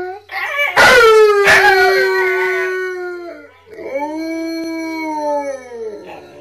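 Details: Three dogs, described as huskies (one possibly a malamute), howl and "sing" together in long, sliding, harmonic-rich wails that waver and fall.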